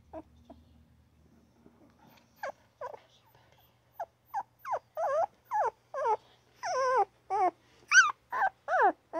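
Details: Newborn puppy giving little squeaks almost like chirps, starting sparse and quiet, then building into a steady run of short rising-and-falling cries about twice a second.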